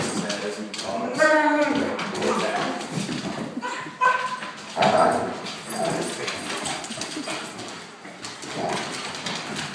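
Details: Akitas playing with their best friend, a German Shorthaired Pointer, grumble and whine in rough, harmonic bursts while a person talks over them; the noise is play talk, not aggression.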